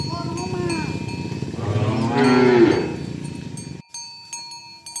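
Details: Herd of tame cows driven to the pen in the morning along village roads; a rough rising moo mid-clip over shuffling hooves, with ringing cowbells before it falls quieter.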